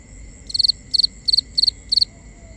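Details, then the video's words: At night, a cricket gives five evenly spaced chirps in binaural ambience. Each is a tight cluster of rapid high pulses, repeated about every third of a second against a steady background hum of insects. "Cricket Conversations"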